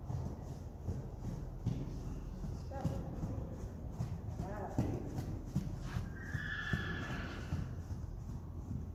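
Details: Friesian horse from a herd; a short, high whinny near the end, after steady hoof clip-clop and a person talking throughout.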